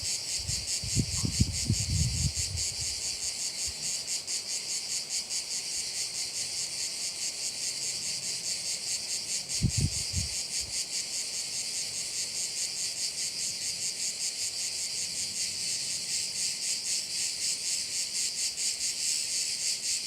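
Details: Crickets at a bay on Korčula, Croatia, form a dense, high, shimmering chorus of rapid pulsing chirps that runs unbroken. Low thumps and rumbles are heard near the start and again around the middle.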